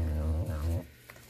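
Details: Serval sheltering in his building from cold snow, unhappy about the weather, giving a short deep growl in two pulses that stops sharply, followed by a quiet room.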